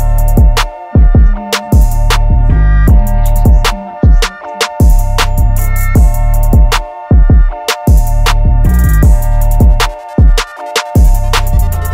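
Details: Loud hip hop backing track with booming bass drum hits, steady beat and sustained synth tones, and no animal voices.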